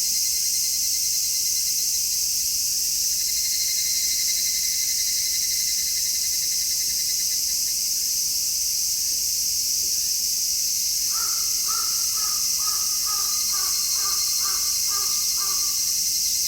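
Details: Cicadas in midsummer, recorded outdoors in stereo with a shotgun microphone: a loud, unbroken, high hissing drone fills the air, joined after eleven seconds by a rapid series of lower pulsed chirps.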